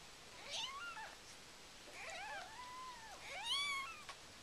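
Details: High, thin mews from the Siamese cat Karma's birthing of her first litter, six kittens, at home in the morning: arched, wavering calls, some overlapping, about four over a few seconds, in a quiet room.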